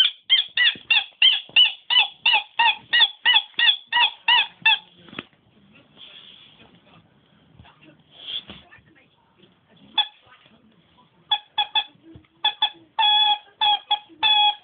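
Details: Nemo the dog squeaking instead of barking: a rapid run of short, high, harmonic squeaks about every quarter second, then a quiet gap with faint rustling, followed by further bursts of squeaks in short clusters.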